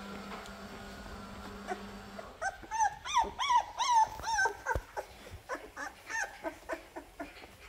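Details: Labrador Retriever puppies with their mother, who is readying them for lunch; a run of high, whining squeaks and yips with bent, wavering pitch, tightly repeated over several seconds, then softer scattered whimpers, after a steady low hum fades out.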